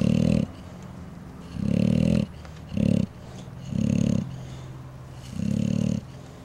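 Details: Sleeping pet bulldogs recorded March 4, 2010, snoring: five deep, rasping low snores, each about half a second long, coming every one to two seconds with a steady faint hum between them.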